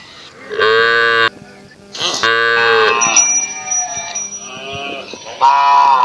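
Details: Indian village cow giving a run of loud moos, several short bawling calls of about a second each, some rising then falling, with steady background tones running through.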